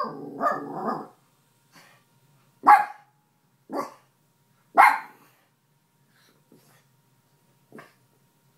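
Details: Female miniature schnauzer keeping watch and barking an alarm at a possible intruder: a few sharp, loud barks about a second apart, after a rough opening noise, then fainter single yaps trailing off in a quiet room.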